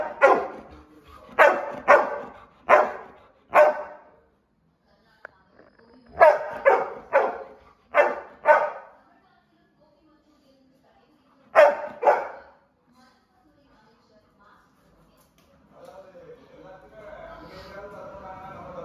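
A Labrador Retriever barks loudly in quick bursts, with a person's voice heard near the end.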